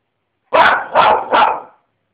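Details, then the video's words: Three loud, rough barks from Lenny the dog, evenly spaced and delivered in quick succession within about a second and a half, with silence around them. "Lenny is barking"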